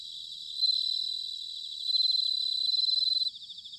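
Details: Autumn bell cricket song recorded in Sanuki, Chiba, Japan: a clear, loud, ringing high trill of rapid pulses, swelling twice before breaking off near the end into a quieter trill behind it.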